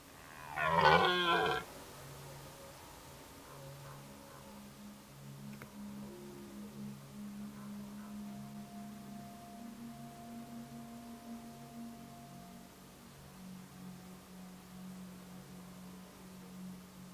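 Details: Red deer during the 2019 rut give one short, loud, rasping roar lasting just over a second. A long quiet stretch follows with faint distant tones and a steady low hum.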